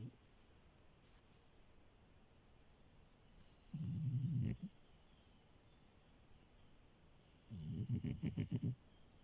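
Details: Milo, a sleeping French Bulldog that crashed the bed, snores in two separate low, rasping breaths about four seconds apart, each lasting roughly a second, with near silence in between.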